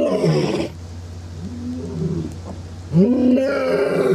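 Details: An Asiatic lion in Gir Forest, Sasan Gir, Gujarat, seen on a jungle safari, gives deep, harmonic roaring grunts over a steady low engine hum.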